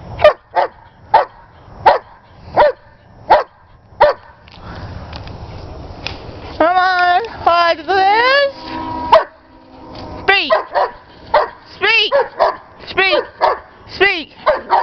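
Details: A German Shepherd playing with a ball, urged on by its owner; sharp single barks at regular intervals, then drawn-out rising whines and yelps, with the owner's voice and brief music.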